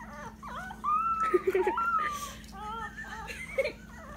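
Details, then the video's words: A Dachshund puppy howling for the first time gives thin, high, wavering notes that rise and fall in short bursts; the owner wonders if he is hungry. "Frank the howling Dachshund puppy"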